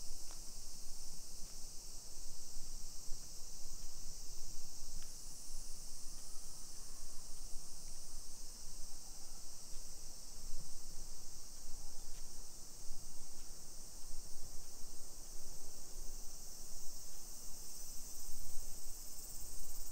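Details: Summer cicadas buzzing over a modern hillside neighbourhood in Nisshin, Aichi Prefecture, Japan, at 1 PM on 28 July 2021. A sustained shrill drone shifts slightly in pitch after a few seconds, with scattered faint clicks and low street rumble.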